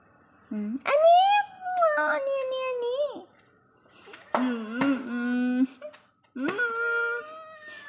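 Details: Munchkin cat meowing indoors alongside a woman speaking; three loud drawn-out meows, the first rising sharply then sliding down, later ones shorter and lower, separated by pauses.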